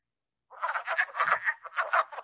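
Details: Wood frogs on Long Island calling in a chorus likened to mini ducklings quacking; after half a second of silence, dense overlapping clucking, quack-like notes pulse unevenly for under two seconds.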